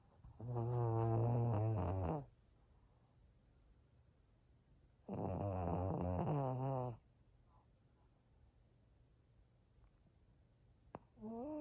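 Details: Indoors in Japan, elderly fawn female Pug Maria, aged thirteen, snores steadily: two long rumbling snores about five seconds apart, each near two seconds, with a third beginning at the end and quiet gaps between.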